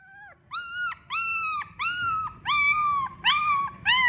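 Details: Siberian Husky puppies from a litter of eight at a yard in Remels, Germany, giving loud, clear whimpers: drawn-out tonal whines with rich harmonics, about seven in four seconds, each slightly arched, with faint low background rumble.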